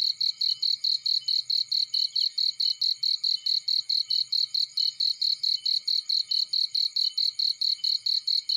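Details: In a field, a cricket repeats loud, high, evenly spaced chirps a little more than twice per second without a break, backed by a continuous high-pitched insect drone and soft low crackles.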